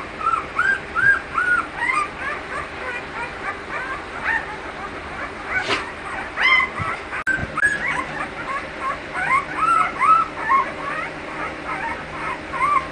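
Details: Several American Bully dogs at a breeding kennel whine and yip softly and continuously, with short rising-falling whimpers overlapping throughout and a brief scuffing noise midway.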